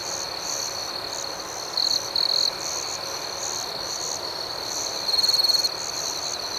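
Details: At night a dense cricket chorus hums on one high, shrill note, broken by two short loud trill bursts early on and a longer, fast-pulsed stuttering trill later from a nearer insect.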